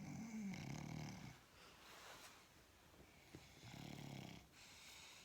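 An English bulldog snores in low, rasping, breathy rumbles that swell and fade.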